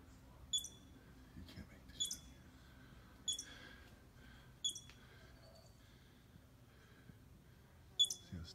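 A squirrel gives sharp, high chirps repeated every second or so, with faint voices in the background.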